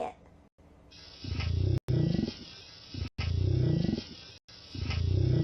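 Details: Gray whale; zipper-like call; social call probably related to mating or breeding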